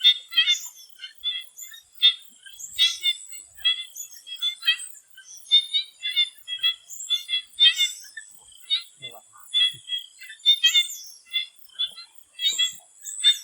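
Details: Swamp frogs calling before sunset in Thailand, a busy stream of brief ticking and croaking notes in irregular bursts throughout. A constant high-pitched insect buzz fills the background.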